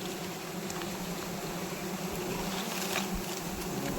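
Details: Disturbed wild honey bees during a wild honey harvest: an even, continuous low hum with a softer higher band, gently swelling toward the end, with light rustling.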